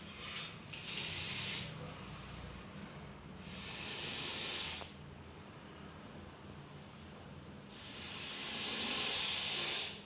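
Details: Russell's viper, a deadly venomous snake, captured in Coimbatore, hissing in three separate long breathy bursts, each lasting roughly one to two seconds, with quieter pauses between them.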